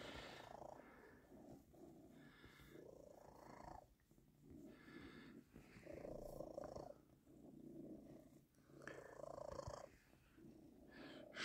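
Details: Tomcat purring while kneading as soon as the petting stops; a steady, low rumbling purr pulsing about four times a second, swelling and fading in waves, with soft rustling of fur.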